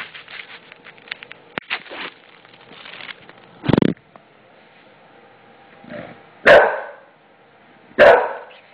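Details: A five-year-old male English Bulldog, indoors and both mad and petrified at a newly installed floor, gives a few short, harsh barks spaced a second or two apart after a person talks.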